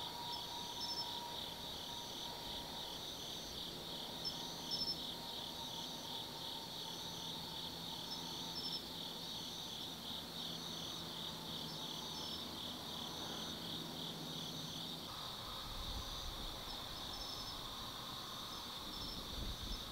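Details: Autumn night insects in the forest at Tsukimi no Mori, Minami-Nō, Kaizu, Gifu, Japan, beside a lookout 180 m above the lit Nōbi Plain. Steady, finely pulsed high trills in two layered bands run unbroken throughout over a faint low hum.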